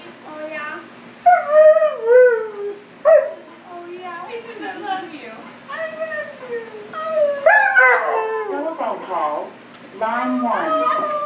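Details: Husky at a grooming salon producing a run of short, broken howls and yowls that wobble and slide in pitch, mixed with whimper-like notes and human speech nearby.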